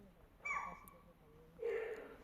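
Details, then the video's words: A chital calls persistently in forest in the Bijrani zone of Jim Corbett National Park during a safari wait for a tiger, while langurs and monkeys stay silent: two shrill, tonal barks about a second apart. "यह जो आवाजें आपको सुनाई दे रही है चीतल डियर की है"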